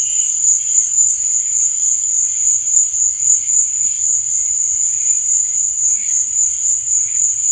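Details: Night-time cricket chorus forming a continuous piercing trill at constant pitch, overlaid by soft, wavering lower chirps that come and go.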